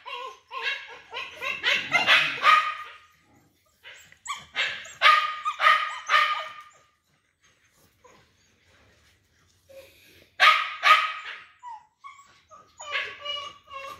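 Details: Pet dog with a big belly on the way home. Bursts of sharp, rapid barks and yips come in four clusters separated by short silences, some with whining tones between.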